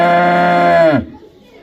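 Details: Cow mooing: one loud, steady, low-pitched moo rich in harmonics, held for about a second before dropping sharply in pitch and cutting off, with quiet background after.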